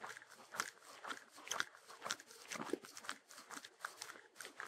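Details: Shetland Sheepdog eating, recorded close up without music: crisp crunching and chewing bursts about twice a second, with irregular clicks of teeth on food and short quiet gaps between bites.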